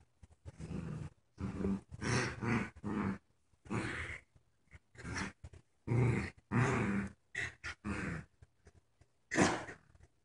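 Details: Joy, a puppy whose legs don't work right and who wears a diaper, growls and grunts during tug of war with her dog friend Wicket. Choppy, gravelly bursts repeat through the clip with short quiet breaks.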